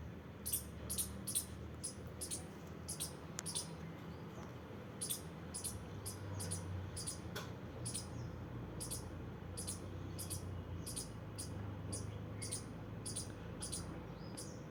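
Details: Squirrel playing, uttering rapid sharp high chirping squeaks in uneven runs, a pause near the middle, over low steady background rumble.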